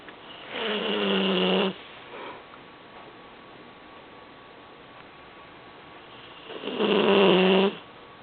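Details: A sleeping seven-month-old Vizsla/Weimaraner puppy, conked out in his usual spot on a couch indoors, snoring: two long raspy breaths about a second each, separated by quiet, with a steady harmonic drone.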